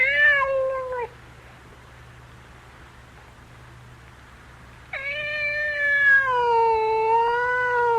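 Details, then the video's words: Cat giving a falling meow, then after a few seconds of low background hum a long wavering drawn-out meow lasting over three seconds. "The Gentle Sounds of a Cat Meowing"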